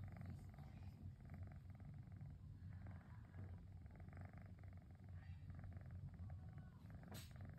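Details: Low, continuous motor-like purring from Cosmos the pet cat on a relaxing rainy afternoon, an even throaty rumble with a brief sharp click near the end.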